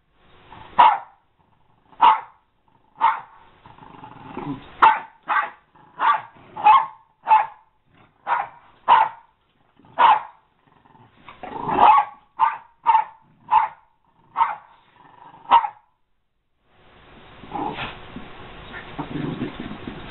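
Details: American Eskimo Dog giving a long series of sharp barks about once a second, some closer together, followed by a stretch of broad rustling noise at the end.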